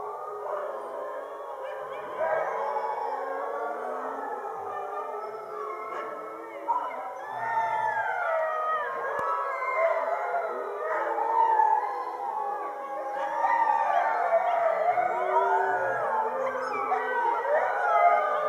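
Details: Fifty Siberian huskies in winter howl together after a meal in the glow of the full moon. Many voices overlap in a dense, wavering chorus of long, rising and falling howls that swell louder toward the end.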